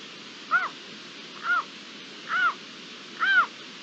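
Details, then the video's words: Iberian lynx recorded 27 April 2022 with natural ambient sound: four arched, harmonically rich mewing calls, each rising then falling, spaced roughly one second apart over a steady background hiss. "La llamada del lince"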